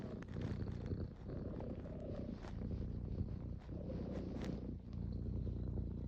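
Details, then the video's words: Cat purring close up, a steady low rumbling vibration that continues throughout with slight rhythmic swells as it breathes in and out. "Cat purring sound"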